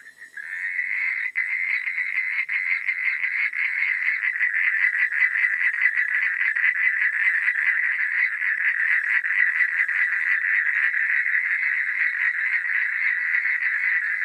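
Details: Frogs at night fading in to a thick, continuous chorus of buzzing, rattling pulses from many callers, holding steady and unbroken to the end.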